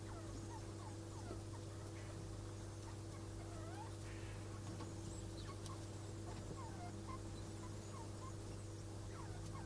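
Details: Degus during mating, the male marked by white fur around the neck; short hooked squeaky chirps repeat in an uneven series of about one per second, over a steady low electrical hum.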